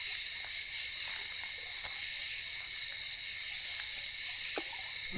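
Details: A steady night chorus of katydids at a solo campsite fills the background with a dense, high, buzzing shimmer, with a few faint clicks and rustles nearby; a barred owl is also said to be calling.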